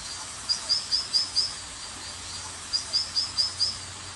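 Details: In Brazil's Atlantic rainforest, a frog seeking a mate gives two quick runs of five high, thin chirps over a waterfall's steady roar, waving its feet as a visual signal.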